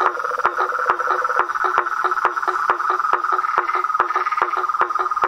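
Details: Frog chorus in nature, with a steady shrill trilling drone beneath sharp, lower clicks that repeat at an uneven pace of about two or three per second.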